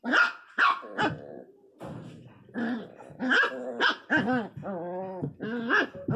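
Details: An angry pinscher puppy gives a few sharp yaps, then cries very loudly in drawn-out, wavering whines.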